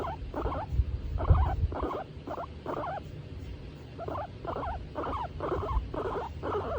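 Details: Female skinny pig named Tomato, happy as she is petted, makes about eleven evenly spaced chuttering pulses with a brief pause midway; low handling rumble underneath.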